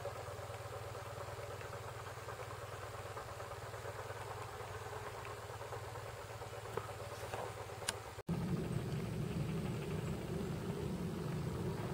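A vehicle engine idles steadily with a low rumble throughout, growing louder after an abrupt cut partway through; no animal sounds can be picked out.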